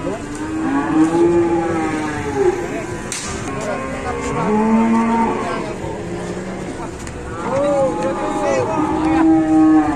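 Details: Large cow collapsed and unable to rise, its owner in a panic, keeps mooing in drawn-out, bending calls that rise and fall, several overlapping across ten seconds, with faint voices and clatter behind.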